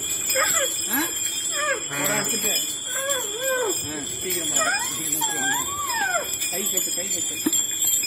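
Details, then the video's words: Andal, the Srirangam temple elephant, 'talking' with her mahout: squeaky tonal chirps that swoop up and down, several in quick succession, mixed with a man's speech and steady high ringing tones. "பாகனுடன் அழகாக பேசும் ஸ்ரீரங்கம் கோவில் யானை ஆண்டாள் . SriRangam Temple Elephant Andal speaking."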